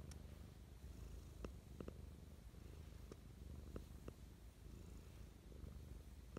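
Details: Domestic cat giving loving morning purrs indoors, a continuous deep rumble pulsing with each breath, broken by several sharp faint clicks scattered through the recording.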